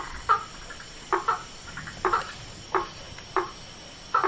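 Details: A frog in the wild gives brief, hollow, knocking croaks, single or paired, repeated at uneven intervals of about a second, over a steady faint hiss.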